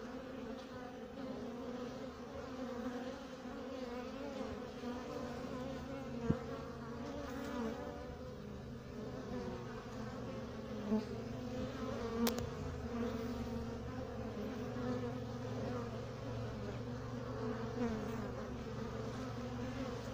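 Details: Male honey bee drone flying around a beekeeper at the hive: continuous low humming buzz of many bees, steady and droning, with a few brief clicks.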